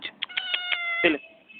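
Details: A white cat utters a short, bright meow with a steady tone held for about a second, preceded by quick clicking taps and ending in a brief lower squeak.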